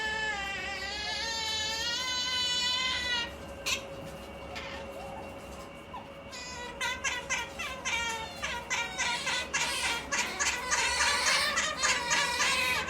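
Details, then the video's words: Otters Maiko and MaiJi making their funny noise when feeling sleepy: harmonic high whines that sway up and down, then a rapid run of short chirping squeaks repeated several times a second, with a steady hum in the room. "Otter Maiko and MaiJi's makes funny noise whenever they feel sleepy"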